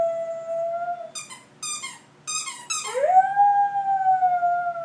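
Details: Dog howling during play with a squeaky toy: a steady sustained howl, a few quick toy squeaks, then a second howl that swoops upward and holds a long even note.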